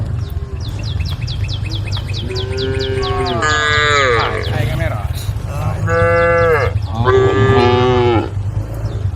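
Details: A group of cows on a road by the forest, calling to the herd: three or four drawn-out, falling moos over a persistent low hum, with a rapid series of high chirps at the start.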